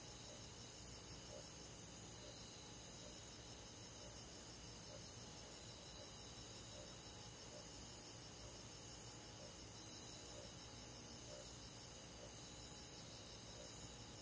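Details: Cricket chirping on a summer night in a countryside forest: very high, short chirp bursts repeated evenly about every 0.8 seconds over a steady background chorus of other trilling insects.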